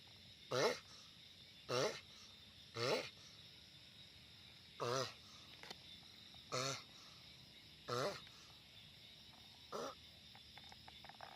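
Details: Loud calling from a giant sulcata tortoise, with seven short, rough, groaning grunts spaced unevenly one to two seconds apart. A faint hum and a few small clicks sit between the calls.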